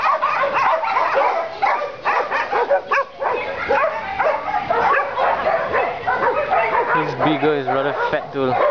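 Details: Many dogs in a dog pound barking and yelping over one another continuously; a few voices join the din toward the end.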